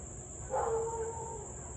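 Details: Siberian Husky in Louisville barking and howling for nearly 30 minutes on the evening of 3 August 2021 at 6:24 pm; a single tonal, slightly falling yelp with clear overtones, heard at a distance over a steady high insect drone.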